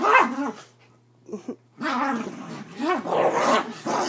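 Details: Havanese play wrestling on a bed, vocal during the game: a bark followed by long rough growling with rising and falling whines, and a person's voice mixed in.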